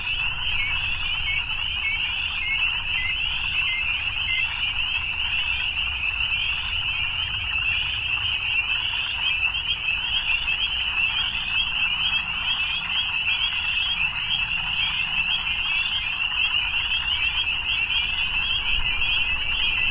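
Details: An evening chorus of many frogs: steady, shrill trilling with no pauses, even in loudness from start to finish over a quiet low background hum.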